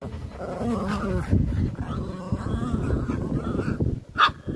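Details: Border Terriers at play, giving low rough growls and grumbling harmonic sounds during the first seconds, then scuffling and movement noise, with a brief higher squeak near the end.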